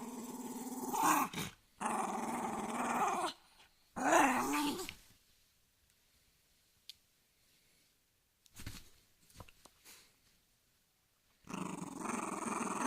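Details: Angry dog growling in short bouts, low rumbling tones with harmonic bands, several growls separated by silence over about thirteen seconds, faint clicks between bursts.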